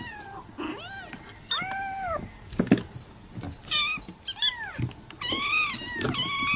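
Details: Kitten calls meant to draw in cats: arched, whining meows over a steady hiss of background noise, with a few knocks and thumps between the calls.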